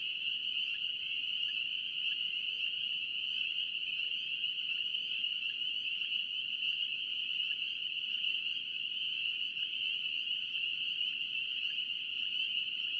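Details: Spring peeper frogs of North Carolina: a steady, dense chorus of shrill high peeps blending into an even ringing hum that runs unchanged for thirteen seconds.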